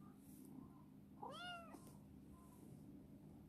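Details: A single short arched meow, rising then falling, comes from Chibikuro, an affectionate rescued black female cat, a former stray living in a warehouse; quiet room hum and faint rustling surround it.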